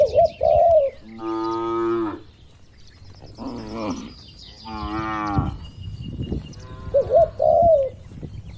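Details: Dozens of tame cattle in a farm pen, healthy and calm, with three low, harmonic moos, each about a second long. Short dove coos open and close the passage.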